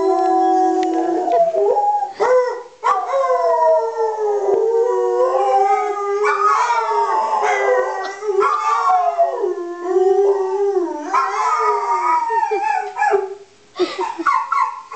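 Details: A pet dog named Holly howls almost without pause, the voice sliding up and down in wavering, yodel-like bends over fifteen seconds, with a short dip near the end.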